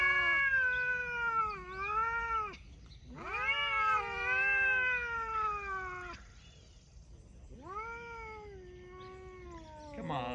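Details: Talking cats producing drawn-out, wavering meows, one after another with brief breaks, the middle call loud and moaning, ending with a short rising squeak.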